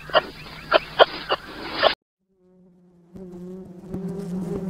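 A bee's low, steady buzz hums with a droning tone, following a burst of rustling clicks.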